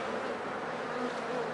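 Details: Dense honey bee drone at a hive being checked for sickness, dead wet bees piled in front after days of rain; an unbroken, even buzz with faint whining tones from passing bees.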